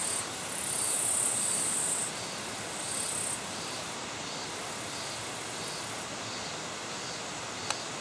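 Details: Territorial katydid bush-crickets in their natural habitat in Japan: a very high, steady buzzing in two long bursts, with faint pulsed chirps repeating about twice a second, all over a loud, constant broadband hiss.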